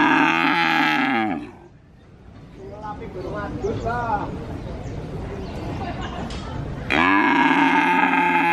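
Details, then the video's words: Purwokerto cattle market in Indonesia, a calf calling continually; a moo fades out, people talk amid market bustle, then another loud bawling moo starts. "Suara Anak Sapi Asli Moo Seram , Cow Sound Effect Mooo , Suara Sapi Asli di pasar Sapi Purwokerto"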